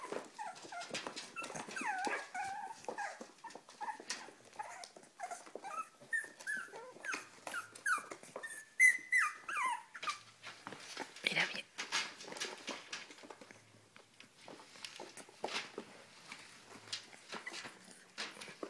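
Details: A Cavalier King Charles Spaniel eager to eat gives soft, broken whimpers, short rising and falling squeaks in quick succession during the first half, over steady clicking and rustling that continue afterward.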